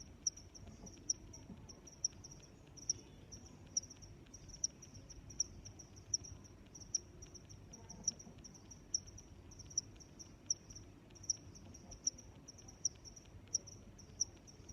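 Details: Continuous high-pitched cricket trilling, punctuated by brighter chirps spaced just under a second apart across the whole stretch, over a soft low-frequency background noise.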